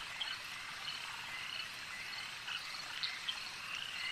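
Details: At a lake, frogs keep up a steady high buzzing chorus, scattered with brief clear chirps and clicks.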